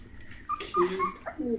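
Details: Hokkaido dog puppies, 16 days old, a brindle female, a brindle male and a red female, giving short soft whimpers and squeaks with tonal high notes, indoors.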